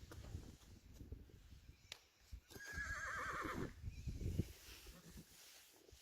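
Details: Friesian horse whinny from a herd with the curious foals Lianne and Lieke and some Haflingers nearby. One bright, harmonic neigh lasts about a second and slides downward, with soft hoof clops and low rustling around it.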